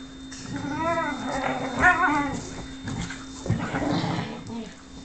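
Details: Whippet named Lux whimpering indoors, wanting affection from Sophia, who plays hard to get; a short run of high, wavering whines arching up and down, with a woman's voice urging in the background.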